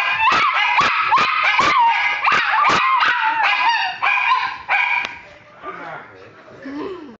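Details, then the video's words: Two pet dogs 'singing the blues' together: a run of short, sharp yelping notes about twice a second, then longer wavering, drawn-out howl-like tones that fade into softer whines and whimpers. "Dog Songs"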